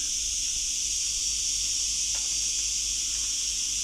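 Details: Cicadas singing in the hot hills near Chulilla, Spain, heard while climbing, described as unlike the cicadas of France: a steady, unbroken high-pitched hiss-like buzz throughout, with faint footsteps and breathing beneath.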